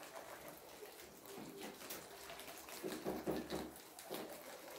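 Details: Several guinea pigs munching kohlrabi, giving steady, rapid crunching and gnawing, with a louder, wetter burst of chewing a little past the midpoint.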